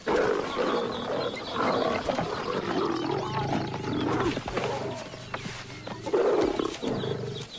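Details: Aggression among wild lionesses, a young lioness confronting an outcast female of the pride, with continuous rough growling and snarling, swelling into sharper harsh snarls near the end.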